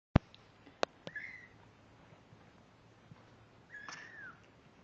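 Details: Kittens 17 days old, born on Halloween, October 31, 2011, recorded November 16, 2011: two thin, high mews with arched pitch, one near the start and one near the end, between sharp knocks and handling clicks.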